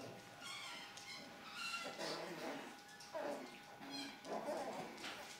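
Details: Puppies at play give high, thin whining squeals with stacked overtones, several short bursts rising and falling over a few seconds, with voices murmuring in the background.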